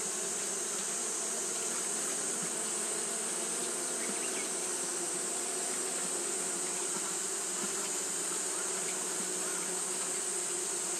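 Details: Fanning Japanese honey bees on a hot day produce an even, sustained drone. A few faint brief ticks sit over it, along with a persistent high-pitched hiss.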